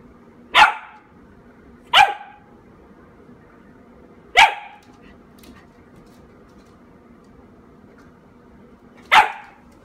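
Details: A Corgi gives four sharp, single barks indoors, at uneven intervals of about one to five seconds with a long pause before the last, each a short loud yap against a quiet low hum.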